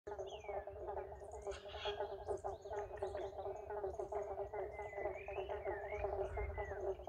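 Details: Eastern pobble bonk frogs, also called eastern banjo frogs, calling in a chorus at Woodlands Historic Park, Melbourne, Australia; many overlapping low plucked bonk notes merge into a dense continuous throb, with faint thin whistles above.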